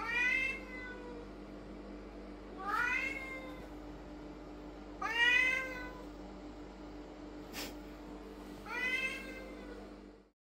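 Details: Indoor lynx point Siamese cat calling loudly during a shopping haul. Four drawn-out, wailing meows come roughly every two to three seconds over a steady low hum.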